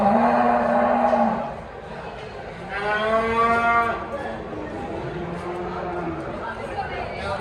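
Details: Simmental and Limousin cattle at an animal market: a long low moo in the first second, then a louder, richly harmonic bellow from about three to four seconds, over a steady hum of market noise.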